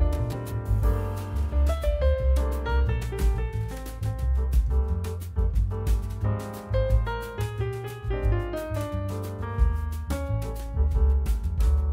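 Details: Gentle piano music with soft low chords and a light melody throughout; no animal voice is heard.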